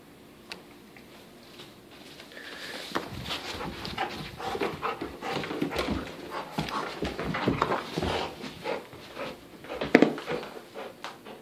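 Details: Dog playing tug of war with a sheep plush toy indoors, panting in rough breathy bursts that grow louder midway, with soft whimpers, toy scuffling and a brief sharp squeal near the end.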